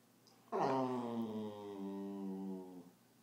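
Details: Bernese Mountain Dog puppy lying down indoors, annoyed at being recorded, gives a long drawn-out moaning whine that holds steady then sinks lower, in a small room.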